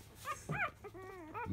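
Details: Litter of five-day-old field-type Labrador Retriever puppies nursing at 10 a.m.; a second and a half of arched squeaky yelps with a lower smooth whine between them.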